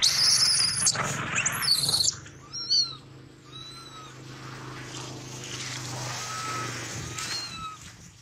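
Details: Baby monkey after a big male bit its leg nearly off: a few thin, whistled cries sliding up then down, spaced about a second apart, following two seconds of loud rustling and handling noise, with a low steady hum underneath.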